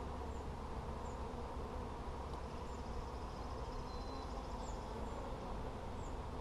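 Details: Low, even droning from bees during a hive check on 17 July 2020, a dense continuous hum with small scattered bird chirps overhead.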